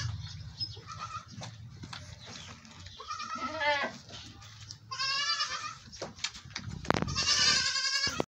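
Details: Goat bleating during milking, several wavering, harmonic-rich bleats in the second half, with handling noise and low background hum throughout.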